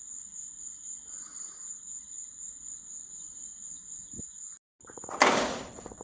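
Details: Night-time grasshopper in Florida gives a continuous, piercing high whine with a fainter lower tone. The sound cuts off abruptly, a short silence follows, and then comes a loud crackling bang.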